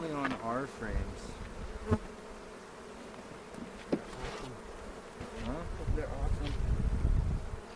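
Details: Honey bees in a bee yard in the foothills near Cochrane, April 27, during the second hive inspection of the 2018 season, searching for queen cells and making a split; steady low droning hum with frame-handling knocks and a voice speaking briefly.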